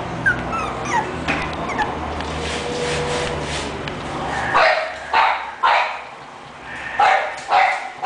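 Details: English bulldog named Hera giving a run of short, sharp yelping barks in quick succession, loud bursts roughly every half second to second, after a quieter stretch with soft murmuring background noise.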